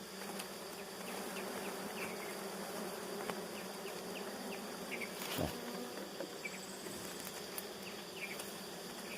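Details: Steady droning of honeybees around three very good nests, a thick, even hum with light clicks and a short knock midway through.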